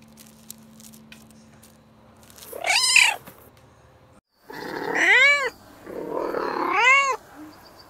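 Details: Cat or kitten from a compilation of cats, quiet at first, then three drawn-out meows that rise and fall, the first fainter and breathier, the last two clear and ringing.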